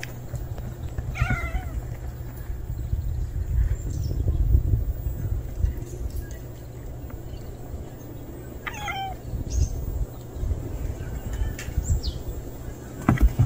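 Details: Unfamiliar male stray cat meowing twice, about seven seconds apart: each a brief, bright, slightly wavering cry with clear harmonics, set against continuous low-frequency rumble and scattered faint ticks.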